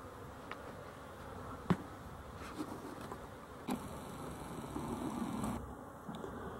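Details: Honey bees, dated 12-11-23: a steady low hum of many bees swells slightly in the middle, broken by a few sharp clicks and taps.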